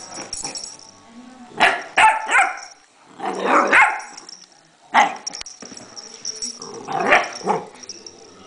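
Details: A puppy barks at a pill bottle, giving short, sharp, high-pitched barks in uneven bursts while a person talks.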